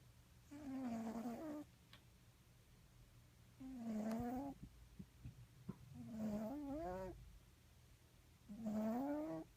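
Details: Fat cat named Crackhead snoring close against an ear while asleep: droning, voiced snores about a second long with a slight upward bend at the end, recurring roughly every two and a half seconds over a low steady hum.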